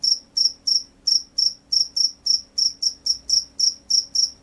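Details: Energetic field cricket calling with quick, shrill chirps, roughly three to four per second, in an unbroken rhythmic run. No other sounds apart from a soft background hum.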